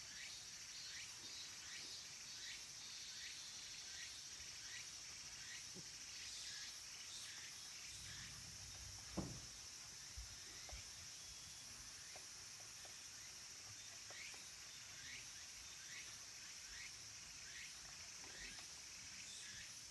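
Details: Cicadas in late summer, when minmin and tsukutsukuboshi cicadas call, at the mountain temple Kabusanji in Takatsuki City, Japan. A dense, steady high buzzing drone runs throughout, with brief repeated chirps about once a second. A single sharp knock is heard midway.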